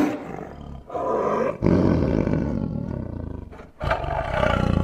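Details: Growling tiger voice that starts softly, builds into a sustained rough roar, drops off briefly, then resumes with another heavy, grating roar.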